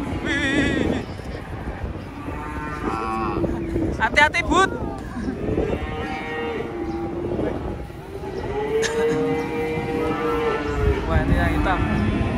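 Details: Cattle being loaded onto a truck give several drawn-out, harmonic moos, some deep and some higher and wavering, spread across the stretch, with background music and people's voices throughout.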